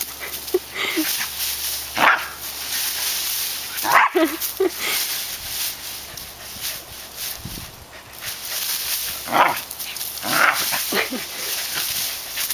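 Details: Barking from Tails, a dog at his favorite bush in August 2010: separate gruff barks spaced a few seconds apart, some in quick pairs, with rustling and faint voices outdoors.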